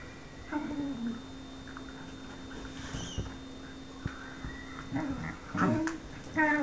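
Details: Whippet whimpering indoors, eager for affection from a companion who is playing hard to get; short, high nasal whines with clear overtones come in separate bursts near the start and again at the end, with quiet room hiss between.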